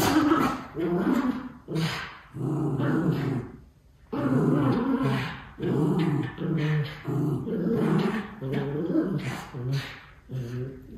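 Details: Two white Miniature Schnauzer puppy brothers romping with excess energy in Aroostook County, Maine; deep, throaty growling with harmonic snarls in repeated one- to two-second bursts, separated by short quiet gaps.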